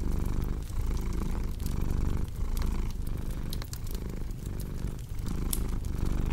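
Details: A cat's continuous deep purr, pulsing in breath-length waves with brief dips between them, accompanied by intermittent bright snaps of a crackling fireplace.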